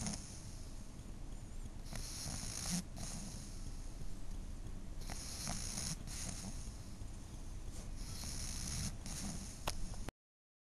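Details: Snoring from a napping 12-year-old female pug. Rasping snores repeat irregularly every one to three seconds, some short and clipped and some drawn out, over a faint low background rumble.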